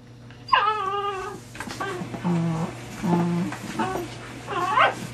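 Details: Dachshunds gathered in a box: one lets out a long, harmonic whine that slides downward, followed by quieter murmuring and a final rising whimper, with a steady electrical hum underneath.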